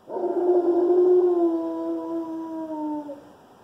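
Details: One-year-old Alaskan Malamute giving his first howl: a single rich, steady tone held over three seconds, gently falling in pitch before fading out.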